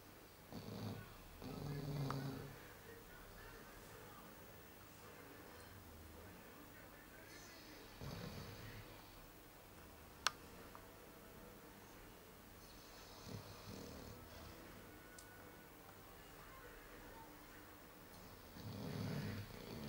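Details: Sleeping Chow Chow dog snoring: low rumbling snores with breathy hiss come in bursts roughly every five to six seconds, separated by quiet stretches, with one sharp click midway.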